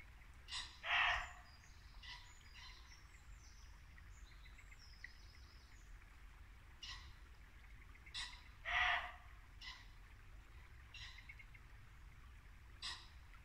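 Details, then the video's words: In a Norfolk wood at dusk in late winter, a muntjac deer gives two strong, harsh barks about eight seconds apart, with softer bursts and thin bird calls in between and a brook flowing steadily behind. "Barking muntjac deer"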